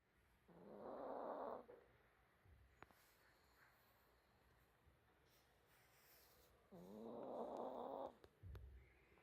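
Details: Small dog snoring while asleep: two broad, rasping snore breaths about five seconds apart, each lasting over a second, with quiet breathing between in a still room.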